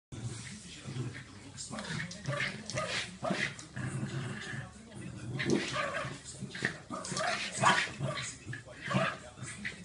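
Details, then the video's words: West Highland White Terrier at play, giving a busy run of rough growls, short whimpers and yips in uneven bursts, while people talk loudly nearby throughout. "West Highland White Terrier brincando"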